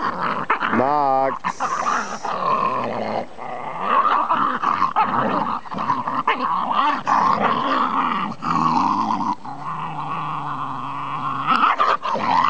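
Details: Dogs in a Welsh Terrier versus Staffordshire Terrier encounter, with Max from Ulm: low rumbling growls and strained, whining vocal bursts run through most of the recording, overlapped by human speech.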